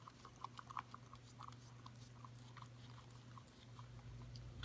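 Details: Indoors, a Corgi puppy of five months laps at a yogurt bowl until it is clean. Soft, rapid tongue clicks come in short bursts, with a faint steady hum beneath them.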